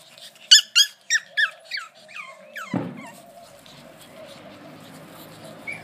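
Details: A Brussels Griffon puppy makes a quick run of loud, sharp, falling squeals that grow softer, followed by a low thump and a quiet hum.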